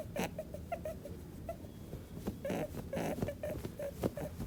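An angry rabbit gives short, nasal whimpering grunts in quick series, mixed with soft thumps and scuffles.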